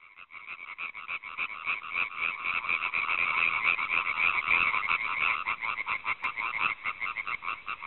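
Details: European tree frog (Hyla arborea) filmed with a Panasonic GH4 camera, giving a fast, steady series of harsh, rattling croaks, several per second, swelling louder through the middle and continuing without pause.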